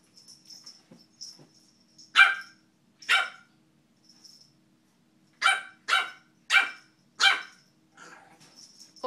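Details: Young Boston Terrier, a puppy of three or four months, acting tough with two snappy barks, a pause, then four quick yappy barks in a row, with faint rustling between them.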